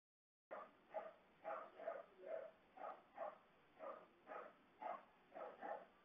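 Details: Siberian Husky crying with joy on reuniting with its owner after being left home alone for a week: about ten whiny, yowling cries in a steady run, roughly two each second, each rising then falling, with little else heard.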